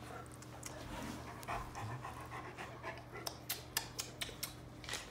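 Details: Leonberger dog kissing a toddler at home: soft, breathy panting with wet licking smacks, a run of sharp clicks in the final seconds, and a steady low hum underneath.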